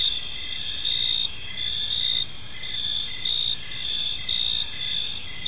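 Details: Park crickets in the evening giving a continuous shrill, high-pitched chorus, overlapping bands of trilling with short chirps recurring about once a second, over soft low background noise.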